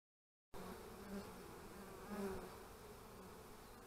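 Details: Honey bees at the hive on March 25, 2015, during beekeeping: a steady low hum of many bees with faint tonal buzz notes around the middle, after half a second of silence.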